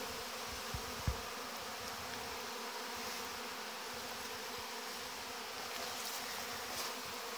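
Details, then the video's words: Young honey bees taking their orientation flight in large numbers at the hive in August 2019: a thick, unbroken buzzing drone with a few soft knocks and passing closer hums. "Zborul puietului de albine luna august"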